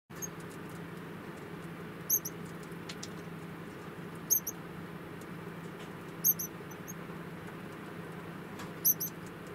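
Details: Four-month-old female pet degu giving brief, very high squeaky chirps at intervals of about two seconds, over a constant low electrical hum and faint rustling.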